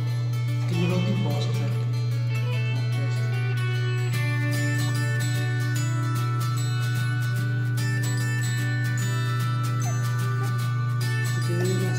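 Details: Strummed acoustic guitar music over a constant low electrical hum fills the recording, with no animal sound.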